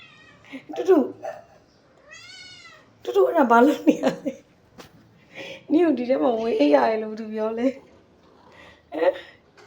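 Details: Pet cat meowing indoors, a run of loud, wavering, drawn-out meows with rising and falling pitch, several in a row, mixed with a woman's voice talking to it.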